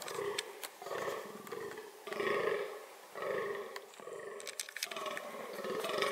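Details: Groaning fallow deer (Dama dama) in reproductive behaviour: loud, throaty harmonic calls in bursts of about a second, separated by short pauses, with sharp clicks and rustles between them.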